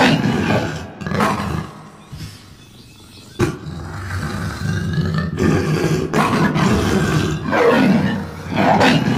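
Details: Lion in stock green-screen footage giving deep, rough roaring bursts, loud low growls rising and falling several times with brief quieter gaps between outbursts, no other clear sounds.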